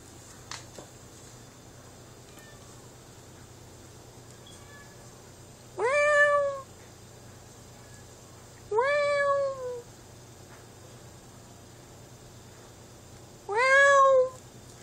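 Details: Two pet cats indoors, one held by a person so they call to each other: three loud harmonic meows, each falling slightly at the end, spaced about three to five seconds apart over a quiet room hum.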